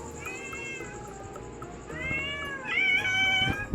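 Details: Cats in a struggle over fish, giving several drawn-out meows, the later ones louder and rising, with a woman speaking Tamil and soft background music.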